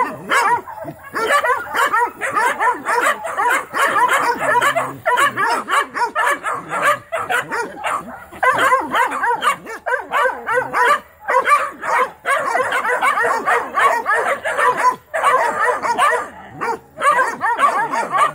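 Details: Young Mountain Curs, several pups, bark and bay at a trapped young raccoon during training, a dense continuous chorus of overlapping yelps and wavering bays with short breaks.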